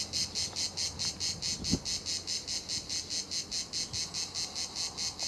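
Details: Cicada chorus at La Garoupe, Cap d'Antibes, France, on the route to Juan-les-Pins: regular shrill buzzing throbs about twice a second, with a single soft knock early on.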